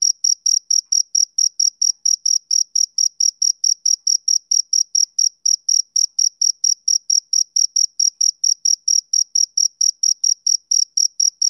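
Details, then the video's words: Summer-evening chirping from a male cricket, bright shrill pulses following one another quickly and regularly, around four per second, with no other sounds present. "Cricket Chirping Sound Effect"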